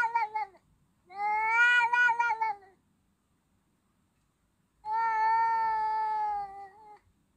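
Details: Domestic cat giving drawn-out, strongly harmonic meows: a brief call at the start, then two long wavering meows each lasting nearly two seconds, separated by a quiet pause of about two seconds; no other sounds.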